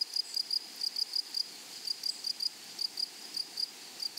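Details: In a flowery prairie meadow, grasshoppers give paired high chirps, small clusters of sharp raspy pulses spaced irregularly, with a quiet insect hum behind.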